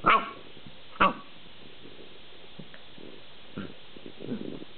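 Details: Collie crossed with husky, playing in the afternoon during a mad few minutes: two loud clipped barks a second apart, then quiet low grumbles and a soft growling mutter.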